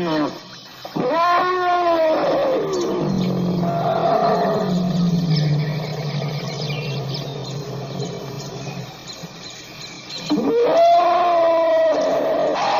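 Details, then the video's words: African elephant producing a rising, wavering harmonic roar that slides into a long, deep, steady rumble, then a second wailing roar, with a constant hiss underneath. "African elephant sound"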